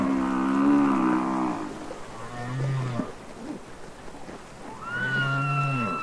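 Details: Humpback whale song from the Capitol Records ST-620 underwater recording: a long droning moan with stacked harmonics, low grunting pulses, then a high sliding whistle over a deep hum.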